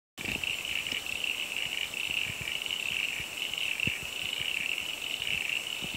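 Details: Frog concert at Bellthorpe Stays, a property home to several frog species, heard on a cloudy day after a rainforest tour: a steady, unbroken high-pitched trilling drone holds level throughout, with scattered soft low knocks beneath.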